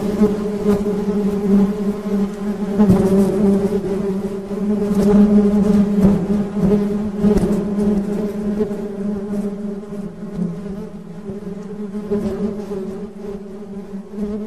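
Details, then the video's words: Dense humming of honey bees, a steady deep buzz with ringing overtones, louder through the middle and fading slightly toward the end. "Suara Tawon Madu"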